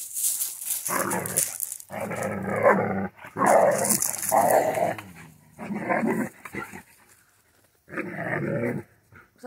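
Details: A Central Asian Shepherd called Safarik, in Michigan, lets out five long, harsh growling bursts lasting one to one and a half seconds each, with brief pauses between them and a faint hiss in the background.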